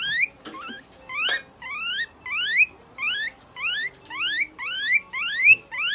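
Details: Guinea pig named Moruta at a veterinary clinic in Nagoya, Japan, during treatment with eye drops, an injection, light therapy, moisturizing and brushing; loud rising squealing whistles with bright overtones repeat steadily, about ten in six seconds, over faint indoor clatter.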